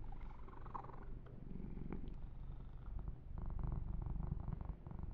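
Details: Male kitten purring while being massaged indoors, a steady low rumbling purr with soft rustling and brushing noises over it and a brief click near the middle.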